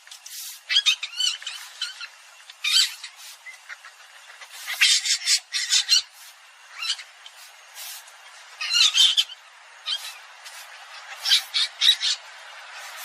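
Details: Common palm civet squealing in irregular clusters of harsh, high squeaks, roughly twenty bursts a minute, separated by brief quiet spells.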